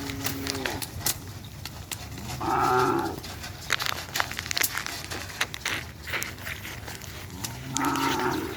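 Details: Cattle newly brought from Sapudi Island, lowing in two drawn-out moos, one near the middle and one near the end, with clattering, clapping and background noise around them.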